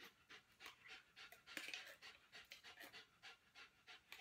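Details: Female Giant Schnauzer after obedience training, lying down in place indoors in Columbia, South Carolina, while her food is prepared. Steady, breathy panting of about three quick hissing breaths per second throughout, with no other clear sounds.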